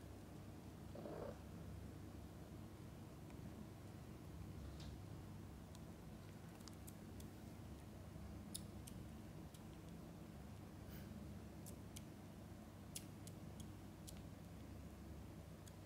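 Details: Mother cat feeding and bathing her kittens indoors: a soft, continuous low rumbling purr runs throughout, with scattered faint clicks and small sharp ticks.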